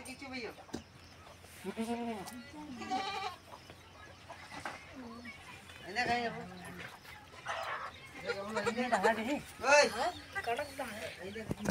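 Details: Young goat kid drinking milk, giving short wavering bleats in irregular bursts, some quavering and rising then falling, spread across the recording, with human voices talking over and between the calls.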